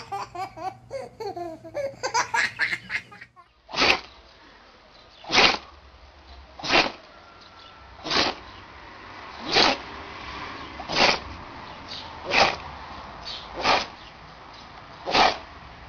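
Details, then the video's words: Dog sneezing: nine short, sharp, noisy bursts spaced roughly every one and a half seconds, after a few seconds of laughter and babbling voices at the start. "Funny Sneezing Dogs"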